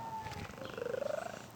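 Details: Domestic cat purring with a cooing quality likened to a pigeon: a rapid pulsing rumble that swells and rises slightly in pitch, with faint voices nearby.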